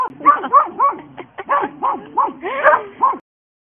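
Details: Hope and Helvy, two Border Collie sisters, in a rapid, excited string of yipping barks and whimpery yelps, about three to four per second, overlapping and varied in pitch, ending abruptly.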